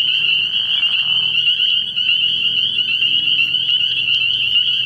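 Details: Spring peepers calling at night early in the year from a frog pond: a dense chorus of many high, shrill peeps merging into a steady, unbroken ringing band, with a faint low hum underneath.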